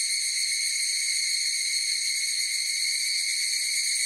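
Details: Chorus of higurashi cicadas: a steady, dense, high-pitched shimmering drone with stacked ringing tones and no breaks, the only sound present.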